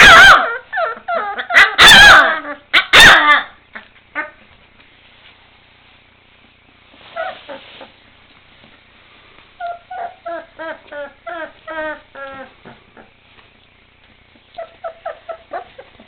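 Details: Litter of 23-day-old male Bernese Mountain Dog puppies barking and vocalising: loud overlapping yips at first, then bursts of small high squeaky yelps and whimpers in quick runs with quiet pauses between.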